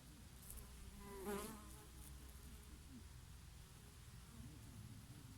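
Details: Honey bees grazing on oregano flowers in summer; a close buzzing pass swells and fades around the middle, a wavering hum with rich overtones, over a soft bed of summer breeze and distant insect drone.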